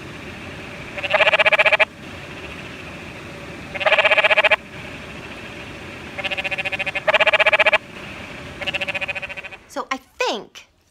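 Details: Canyon treefrog at night by the water in Sabino Canyon, Tucson, heard on a hike: four or five short rapid rattling trills, spaced about one to two seconds apart, over a constant water hiss, with brief human voice sounds at the end.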